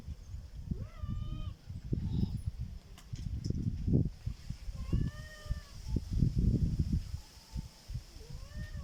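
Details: A black cat making a strange sound: several drawn-out, arched, tonal meows near the start, middle and end, plus a short fainter one, over steady low rumbling and thumping background noise.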